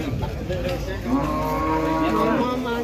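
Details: Large jumbo cattle at an Indonesian cattle market, with a drawn-out harmonic mooing rising from about one second in, over a busy background of crowd noise and speech.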